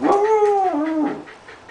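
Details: Australian dingo 'talking': a short, clear, moaning whine that holds steady, then drops sharply in pitch near the end, lasting about a second, with quiet room sound afterward.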